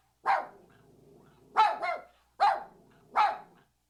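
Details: Puppy yapping: a single high bark, then a quick double bark, then two more single barks, each with a short ringing tail, spaced under a second apart in a quiet setting.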